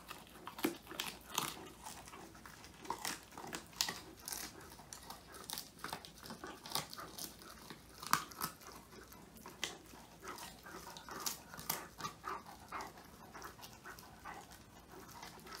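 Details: Phone recording of Woody, a male Old English Sheepdog, chewing a whole quail treat indoors for the first time; a continuous busy stream of wet crunches and crackling bites, closely spaced, with one sharper snap midway.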